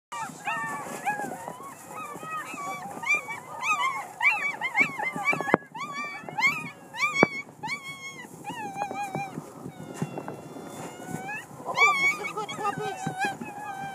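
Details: Six-week-old puppies playing in snow, a litter of several pups giving many overlapping high whining yelps and squeals, arched and wavering, tumbling over one another almost continuously with brief pauses.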